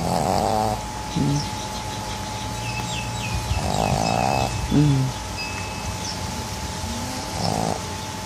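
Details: Pug snoring loudly while asleep: rough snores at the start, in the middle and at the end, with short low grunts between them and faint bird chirps in the background.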